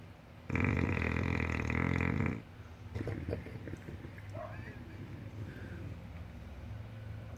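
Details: Sleeping English Bulldog snoring: one long, loud, rasping snore lasting about two seconds with a rapid pulsing flutter, followed by softer, irregular snorts and grunting breaths as it trails off.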